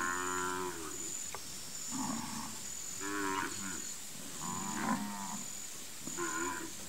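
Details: Gir dairy herd being hand milked on a Brazilian farm: repeated harmonic moos about every second, overlapping calls from several cows, with a continuous high-pitched insect hum behind them.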